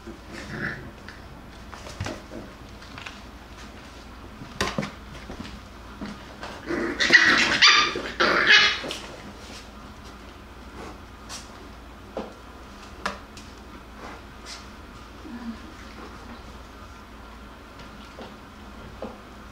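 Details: Jackabee (Beagle x Jack Russell) puppies wrestle and play: scattered short sharp barks and yips, with a louder rough growling scuffle in the middle, then quieter single yaps over a faint room hum.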